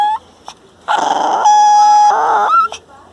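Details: An angry Miniature Pinscher gives a shrill, drawn-out bark, a high whining yap of territorial warning, while a person tries to pick it up and pet it.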